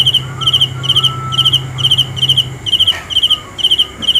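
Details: Cricket chirps in quick pulsed bursts, around two per second, loud and clear; a low hum fades out halfway, with a faint thin tone and a soft knock near the end.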